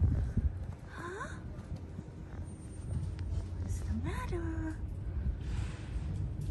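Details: A cat confused by melting snow gives two short rising meows, about three seconds apart, each sliding upward with bright overtones, over a steady low rumbling background.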